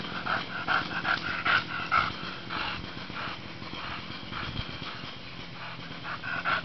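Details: Bulldog at play in sunshine, giving fast, noisy panting breaths with short snorty, slightly whiny accents near the start and end of the stretch.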